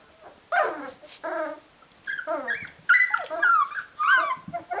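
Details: Rhodesian Ridgeback pups of the D-litter at 19 days old: repeated loud whining squeals, some rising and falling in pitch, coming in bursts roughly every half second to second, several pups calling together.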